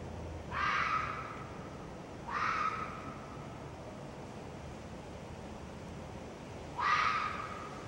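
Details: Red fox vixen screaming three times, each hoarse, rasping cry lasting under a second, the first two close together and the third after a pause of several seconds, over steady low background noise.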